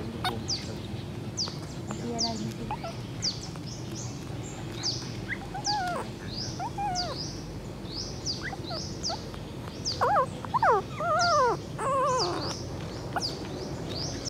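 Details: Puppy crying and calling for its mother: high, wavering whines that rise and fall, coming in short bursts and then in a denser run of arching cries near the end, over steady sharp high chirps and low background rumble.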